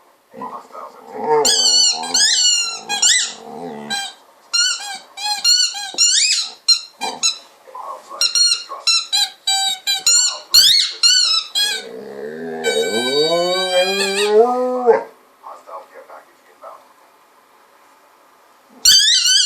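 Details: Golden retriever playing with a ball, vocalizing almost nonstop with squeaky high whines and strained groans, ending in a long wavering moo-like moan before falling quiet, indoors, with faint background game voices.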